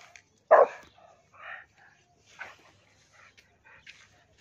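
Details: A Rottweiler, reacting to a cow, gives one loud, deep, abrupt bark, followed by softer, muffled sounds.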